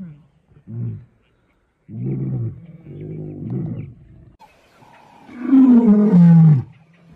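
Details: Wild lion in South Africa: short low grunts and a rumbling stretch, then a louder harmonic roar that slides downward near the end, with gaps of quiet between.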